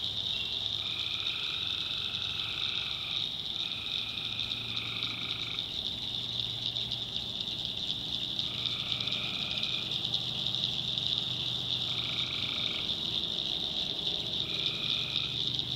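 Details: At night in North Carolina's backwoods, tree frogs keep up a dense shrill chorus while individual callers give sustained trills of one to two seconds at irregular intervals, over a soft low hum.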